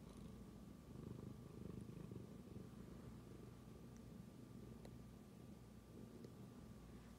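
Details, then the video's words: A tabby cat purrs steadily, a low continuous rumble pulsing in a soft, rapid rhythm. It suddenly started purring after smelling its owner's phone. "Tabby cat suddenly starts to purr after smelling my phone"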